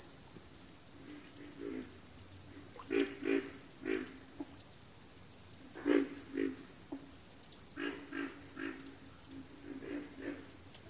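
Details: Frogs calling in a backwater chorus: low, pulsed grunting bursts from several overlapping callers, coming in short clusters at irregular intervals, over a steady thin high-pitched whine that runs throughout.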